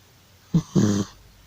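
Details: Old cat Georgie asleep and snoring loudly: a brief low snort, then a longer, buzzing, rattling snore of about a quarter second, in a quiet indoor room.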